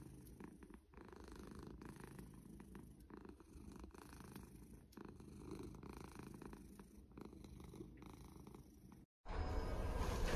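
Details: Domestic cat giving a low, rumbling purr that throbs evenly for about nine seconds before a sudden break, then a loud burst of rustling noise at the end.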